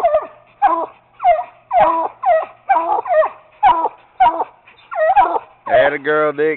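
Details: Treeing Walker Coonhound pup and a Bluetick named Bobbi barking at a raccoon in a cage: nine evenly spaced, sharp barks, then a drawn-out, wavering bawl at the end, with a man's encouraging voice nearby.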